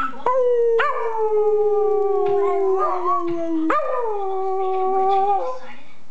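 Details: Parson Russell Terrier howling on demand: long sustained tonal howls, slowly falling in pitch, with a sharp restart near the third second and a second drawn-out wail, rich in overtones; a brief voice heard near the end.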